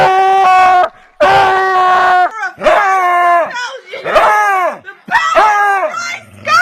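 A beagle lets out loud, drawn-out screaming howls, rising then falling in pitch.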